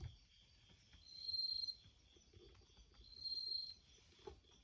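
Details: Bell crickets singing outside a screened window beside an entrance while a cat listens indoors: two high, ringing, bell-like trills about two seconds apart, each lasting roughly half a second, over a quiet room with a faint soft knock near the end.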